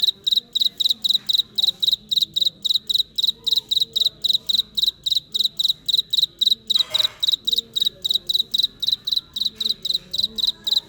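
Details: Insistent, high, metallic cricket chirps pulsing evenly several times a second for the whole stretch, with soft background Vietnamese conversation and one brief noisy scrape partway through.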